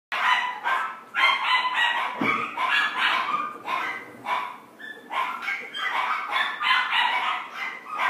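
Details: Female red Chihuahua born April 2017, kept at a pet shop, giving a rapid run of sharp, high yapping barks, about two per second with brief pauses, bright and nasal in tone, in a small quiet room.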